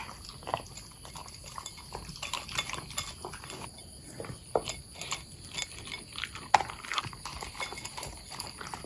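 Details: Pet long-haired Corgis eating a meal of kibble with freeze-dried egg yolk, mussel, peas, blueberries and fish oil; irregular dry crunching and clicking chews scattered through the stretch, with soft rustles between bites.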